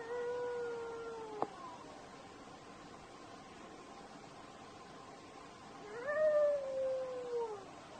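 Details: A desert wolf gives two drawn-out, steady howls, each sagging in pitch as it fades.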